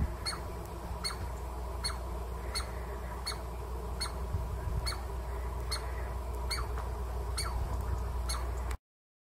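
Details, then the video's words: A Douglas squirrel (chickaree) in a Pacific Northwest forest gives sharp, squeaky barks about every three-quarters of a second, calls used to warn of danger or defend its territory. "Douglas Squirrel Bark - CAPTURED!"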